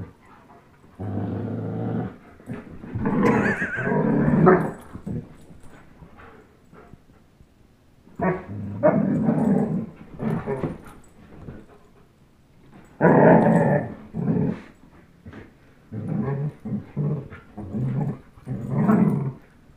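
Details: Young German Shepherd Chase and Old English Sheepdog Blizzard growling while playing tug of war: harsh, rasping growl bouts a few seconds long, separated by silent pauses, some bouts breaking into higher snarling tones.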